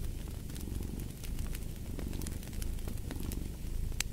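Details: A cat purring, a steady low rumbling throb that runs through the whole stretch, mixed with the sharp pops and crackles of a fireplace burning.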